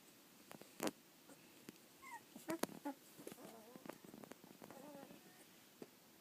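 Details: Collie puppies eighteen days old, filmed 2 February 2013, giving faint high whimpering squeaks, short rising and falling whines scattered through the clip among clicks and handling knocks.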